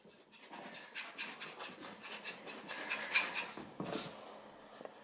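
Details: Long-haired Chihuahua panting while playing catch-me-if-you-can indoors, a steady run of soft, breathy, hissing puffs with a few sharper bursts near the end.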